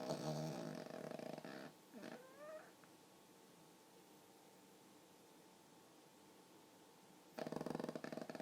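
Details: Snoring pug dog in sleep, its snore likened to a person's: a coarse buzzing snore at the start, soft small noises in the quiet middle, then another loud rasping snore.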